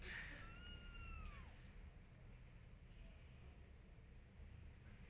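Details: Mother cat urging kittens to follow; one long, clear meow that holds then slides downward, followed by near silence with low hum.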